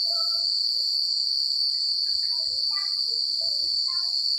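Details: A continuous high cricket trill fills a country night, overlaid by many short, scattered mid-pitched chirps and notes from other night creatures, with a faint low murmur underneath.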